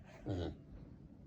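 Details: Pet female micro pig in Miyakonojo, Miyazaki Prefecture, Japan, uttering an unusual voice: one brief, low, throaty grunt lasting about a quarter second, then soft indoor background noise.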